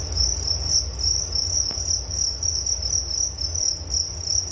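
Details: Cricket chirping offered as a soothing sleep sound: bright high trill broken into fast, even pulses, a weaker echoing band above it, a single sharp click partway through over a low background murmur.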